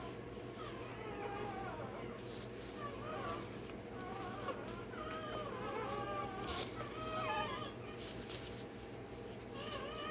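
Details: Day-old Rottweiler puppy having its tail and dewclaws done gives a run of thin, wavering high cries and squeaks, some rising and falling, over a steady low electrical hum, with faint human voice nearby.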